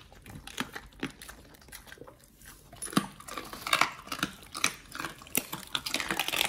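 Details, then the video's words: Two Pit Bulls eating raw healthy treats indoors; irregular crunching and biting clicks with wet chewing, scattered sharp snaps through the clip, recorded close in a small room. "the Pit Bulls eat RAW healthy treats [ASMR] MUKBANG 犬が生の肉を食べる [咀嚼音]"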